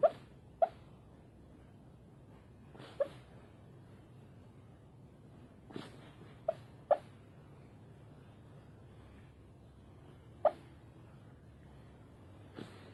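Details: Sleeping fox named Foxy barking in her sleep: brief, sharp yips and huffs, often in close pairs, scattered irregularly over about thirteen seconds against soft breathing and a quiet background.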